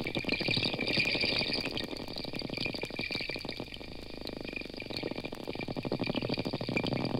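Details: Wild porpoises, a school of 20 or more in the Gulf of Mexico, approaching a recording boat; dense rapid clicking, speeding and slowing in bursts, over steady broadband sea noise.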